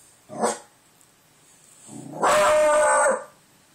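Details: Pet dog indoors howling at the door after hearing wind outside; a short harsh yelp is followed by one loud, tonal, slightly wavering howl lasting about a second, with quiet gaps around it.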